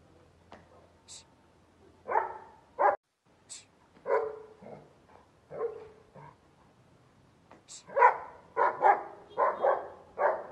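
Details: A Bull Terrier barks in irregular bursts: single and doubled harsh, mid-pitched barks spaced a second or more apart, building near the end into a quick run of five or six barks, with faint sharp clicks between.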